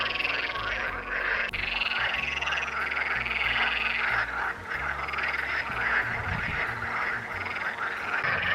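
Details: A dense chorus of frogs, possibly toads, at a forest lake near Unterstürmig on 30 May, early summer, croaking together in a steady, rattling wash of overlapping calls.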